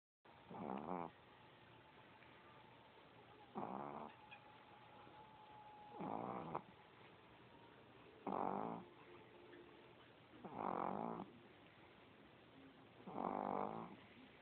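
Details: Sleeping chihuahua snoring, recorded on an Android phone: six short rasping snores spaced about two and a half seconds apart, quiet breaths between.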